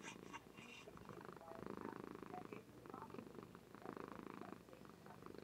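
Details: Soft purring from a female domestic cat asleep indoors, recorded by webcam; a quiet, low, rapidly pulsing rumble in uneven breath-length bursts.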